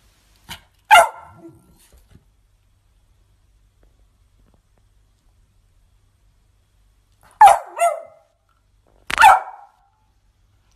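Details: French Bulldog giving sharp, loud barks: a single bark near the start, then a pair about seven and nine seconds in, with quiet gaps between and little else heard.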